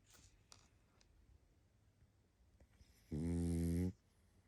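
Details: A sleeping pug named Barney, tired out, lets out a single low, buzzing snore of under a second near the end, after several seconds of quiet breathing and faint clicks indoors.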